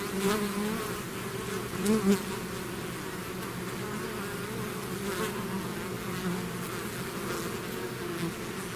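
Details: Honeybee swarm pouring out of its hive, a dense steady drone with harmonic bands around 200 and 400, brief louder surges near two seconds as single bees pass close.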